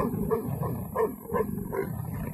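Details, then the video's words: Mating leopards calling in a run of rough, low grunting pulses, roughly one every 0.4 seconds, over a steady low rumble of background noise. "Mating leopards"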